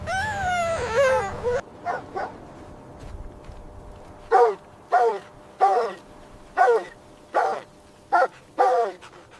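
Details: Puppies and their mother dog playing in fresh white snow in winter; a rising, falling whine at first, then a string of short, high yipping barks, about one each second.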